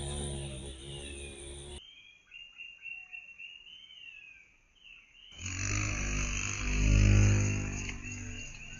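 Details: Xylocopa violacea in Mazovia, Poland, seen again after being considered extinct in 2002. A deep buzz fades out, high bird chirps fill a short quiet spell, then a louder rich droning hum returns and swells.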